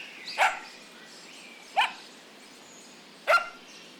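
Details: Puppies running and playing together on a grassy meadow; three sharp, separate barks sound about a second and a half apart over a soft background hiss.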